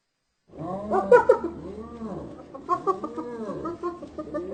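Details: Hyena calls meant to amuse lonely dogs: rich, harmonic notes rising and falling in arcs, repeated several times in a loose rhythm over a low steady hum.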